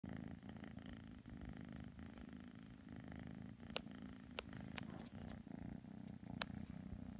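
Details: Kitten Matsumoto purring while snuggling with Tanka the pit bull indoors; a steady low rumbling purr runs throughout, with a few sharp clicks or taps breaking in.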